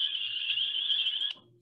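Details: A spring peeper of the Rouge River watershed wetlands, Michigan, calls with a shrill, high, ringing peep that holds steady, then cuts off sharply.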